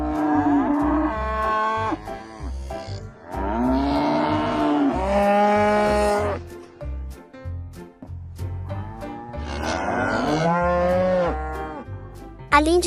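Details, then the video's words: Several cattle low in overlapping, strained moos, some rising and cracking, in bursts through the stretch, with a rhythmic musical backing throughout. "SOM DOS BOIS"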